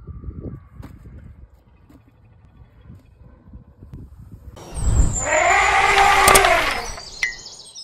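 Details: Loud, harsh elephant squeal or scream lasting about two and a half seconds, rich in layered tones and bending slightly in pitch. It follows several quiet seconds of low background rumble, and a brief sharp click comes near the end.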